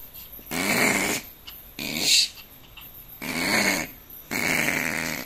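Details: Opossum growling, a nervous animal that sounds aggressive but only wants to flee; four harsh, breathy, hiss-like bursts, each roughly half a second to a second long, separated by short quiet gaps.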